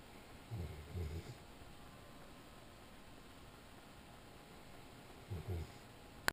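A sleeping Weimaraner snores in low, rasping bursts, two long rumbling breaths a few seconds apart.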